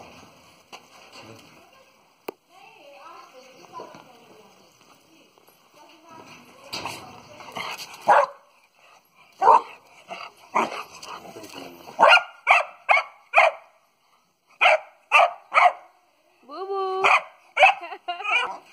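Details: Heavy-boned Dogo Argentino in Khanpur, Delhi; low murmuring voices fill the first half, then sharp barks and yelps start near seven seconds, coming about once a second, with a few rising yips near the end.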